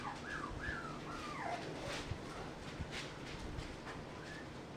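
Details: Mixed-breed puppy aged 35 days whimpering: a run of thin, high whines that slide downward in pitch, several in the first two seconds, then a fainter rising whine near the end over a steady low background hiss.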